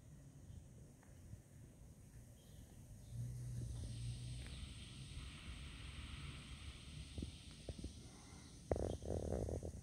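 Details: A carpenter bee on a balcony gives a low, steady buzz that drones for a few seconds over a muffled outdoor rumble.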